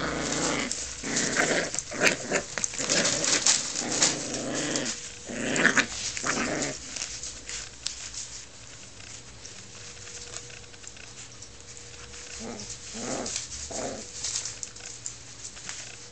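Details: Puppies playing tug: rough, gritty growls and snarls dominate the first half, then fade to quieter scuffling with a few short growling bursts near the end.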